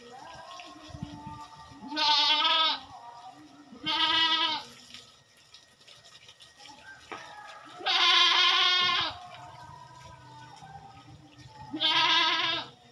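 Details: Farm goats, heard during a fortnightly routine chore, give four loud, quavering bleats spaced roughly two to four seconds apart, each harsh and vibrato-laden, with quiet low murmurs and faint tonal background between calls.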